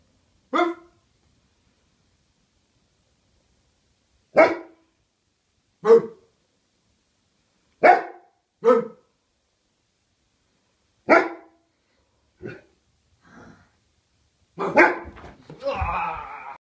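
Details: A female Bernese Mountain Dog in a barking match with her owner gives single deep, gruff barks at irregular intervals of a second or more.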